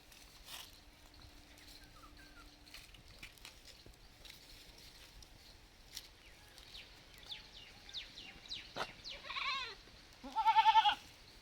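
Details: Village baby goat, mostly quiet at first with faint clicks and rustles, then a run of loud, quavering bleats building toward the end.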